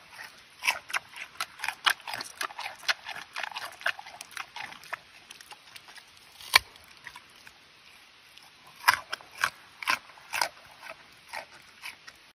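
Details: Giant panda eating, heard as steady rapid crunching with many short crisp bites in quick runs, then a brief pause and more loud snapping crunches, with no other sounds.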